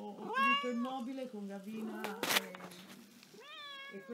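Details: Restless domestic cat giving drawn-out harmonic meows, rising and then falling, one near the start and another near the end, over a steady low purr-like hum, with a woman speaking Italian nearby in a small room.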